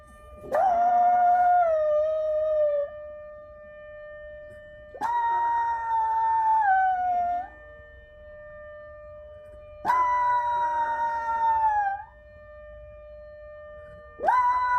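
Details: Black poodle howling in reaction to a siren: four long, wavering, harmonic-rich howls of about two seconds each, starting roughly every five seconds, each rising sharply then holding and sliding slightly, over a steady unbroken background tone.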